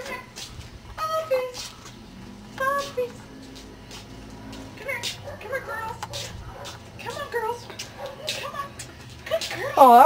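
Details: Ten-week-old Cardigan Welsh Corgi puppies give several short, high, tonal whines that slide downward, scattered among people talking and a child's voice indoors, with a louder squealing cry at the very end.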